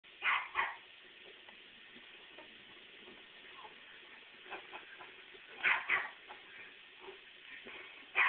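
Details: An Airedale and a Shih Tzu, Mandy and Majerle, squabbling as one tires of the other; short, sharp barks in bursts near the start, around six seconds and again at the very end, with a quiet room between.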